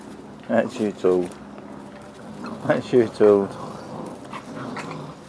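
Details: Six-week-old Frenchie x wolf pups giving two bursts of high, whining yelps, each a quick run of three or four cries, the first near the start and the second about two seconds later, over low indoor background noise.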